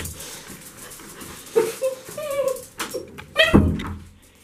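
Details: Excited dog greeting its owner coming home, giving several short high whines and yelping whimpers with a rising-falling pitch, in a room with a person speaking French nearby.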